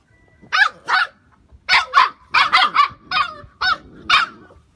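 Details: Phu Quoc Ridgeback puppy, two and a half months old, descended from Vằn and Mowgli, showing early hunting instinct: about nine sharp, high-pitched barks in under five seconds, often in quick pairs, with a quiet background.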